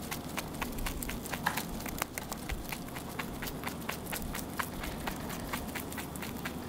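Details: Close chewing of a rabbit at its meal, evenly spaced crunchy clicks roughly three each second against a quiet low hum.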